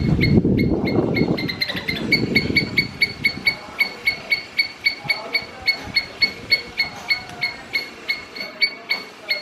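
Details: Squirrel giving a steady series of short, sharp chirping barks, about four a second, each with a bright overtone; low rumbling handling or wind noise fills the opening seconds.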